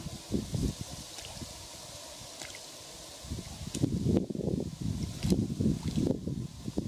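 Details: Male American bullfrogs fight over territory with deep, gurgling, irregular low pulses, recorded on 17 June 2016 at Kubokawa Ihatov, Japan.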